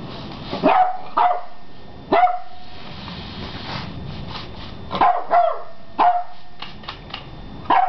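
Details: Eleven-week-old beagle puppy barking at a broom indoors: bright yappy barks in quick pairs and singles, about six outbursts with short pauses between.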